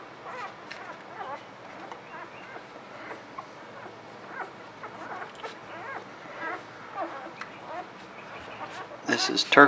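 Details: Litter of newborn puppies gives thin, wavering whimpers and squeaks, scattered and overlapping, ending in a louder burst of squealing; soft human talk in the background.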